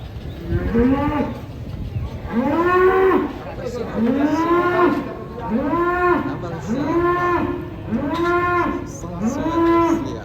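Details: Fat cattle raging while being loaded onto a truck, giving a run of six loud, drawn-out moos. Each is arched and harmonic-rich and comes about every one and a half seconds, with faint background clatter.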